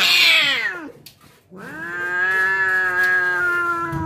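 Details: A cat about to fight lets out a high falling cry, pauses briefly, then holds a long steady low yowl.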